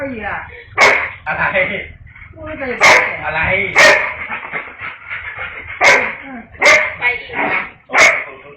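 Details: Excited Siberian Husky greeting a family member whose voice it heard, giving loud warbling howls mixed with sharp yips at irregular intervals, roughly every second, while a person talks over it in a small room.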